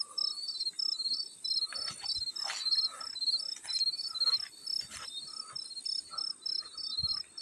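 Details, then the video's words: Field cricket gives bright, high-pitched trilled chirps in quick regular bursts over a background of splashing and dripping water. "Field Cricket + water splash sounds"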